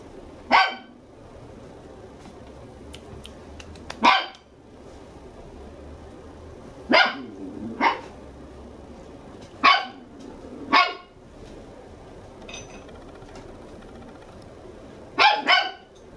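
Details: Red male Toy Poodle puppy, two months old and full of energy, indoors at a puppy house in Machiya, Tokyo; about nine sharp, yappy barks at irregular intervals, some in quick pairs, with a soft growl between them.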